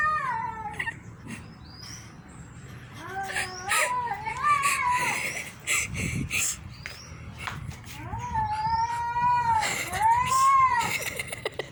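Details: A cat meows repeatedly. The meows are wavering and rise, then fall. Several come in quick runs, and a loud, arched meow closes near the ten-second mark.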